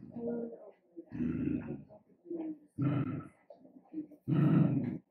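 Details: Dachshund giving rough, low growling barks in bursts of about half a second to a second, separated by short quiet gaps with faint softer voiced sounds between them.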